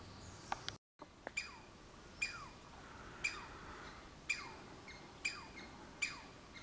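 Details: A Douglas squirrel (Tamiasciurus douglasii) on the Olympic Peninsula gives sharp, downward-sweeping chirps, repeated about once a second.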